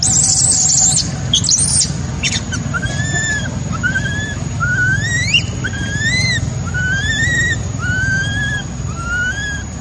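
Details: Baby macaque crying after its mother abandoned it: a steady series of rising, whistle-like wails, about one per second, each climbing then leveling off, following an opening burst of shrill squeals, over low background rumble.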